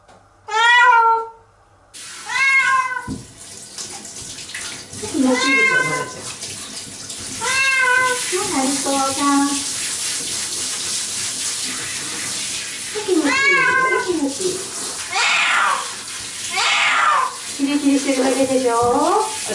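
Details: Nora, a pet cat, yowling in resistance as she is washed in the shower; a loud meow at the start, then several wavering, strained cries half-buried under running water and splashing.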